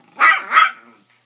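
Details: Two Chihuahuas, a 3-month-old puppy battling a 13-year-old adult over a bone, give a loud double bark, two rough yaps in quick succession fading into a brief low growl.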